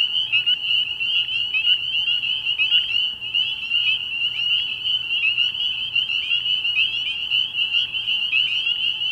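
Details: Spring peepers calling at night from a frog pond early in the year: a dense chorus of many high, piping peeps merging into a continuous shrill ring, steady throughout with no other clear sounds.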